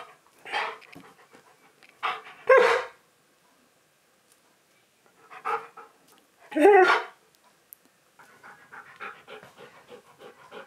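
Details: Needy husky at home while its owner works from home: breathy, airy vocal bursts at irregular intervals, then a run of rapid, steady panting in the final seconds.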